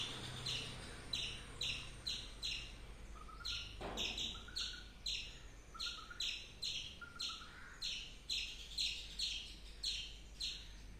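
A squirrel gives sharp, high chirps repeated about twice a second in a steady run.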